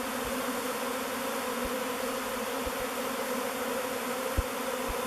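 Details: A swirling mass of honey bees gathers at a log hive named Bee Beard, settling in as its future home. The bees make a constant, even drone with layered hum bands, broken by a few soft low thumps.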